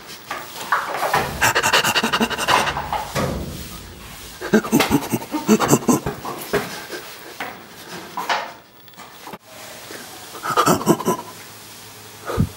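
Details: Rescued chimpanzee living at a sanctuary responds to human laughter. Rapid, breathy, rasping pant bursts come in irregular clusters. A close, loud indoor recording.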